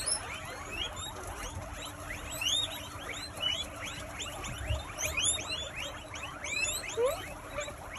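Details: In a cozy United Kingdom enclosure, 80 guinea pigs wheek and squeak simultaneously. A thick, unbroken wash of rising, chirping squeals layered over one another, with some higher piercing whistles, and a soft low rumble beneath.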